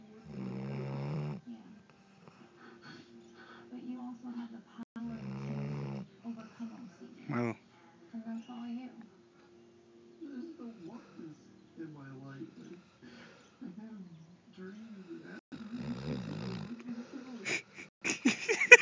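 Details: After a long day of running, a Golden Retriever snores in deep, rattling breaths even while half awake, with soft murmurs and other indoor sounds between them.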